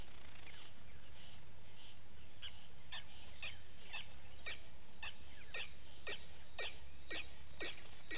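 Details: Vervet monkeys at a waterhole on Djuma Game Reserve, Sabi Sand Wildtuin, South Africa, in the morning, from a fixed live camera: steady series of sharp downward-sweeping chirps, roughly two per second, above constant low-pitched noise.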